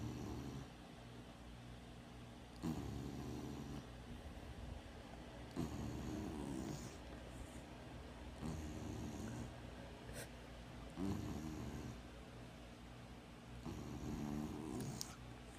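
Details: Deep, raspy snoring from a female dog, once a stray, asleep at home with her eyes open; low grating breaths about every three seconds, some with a faint whistling edge, over a steady background hum.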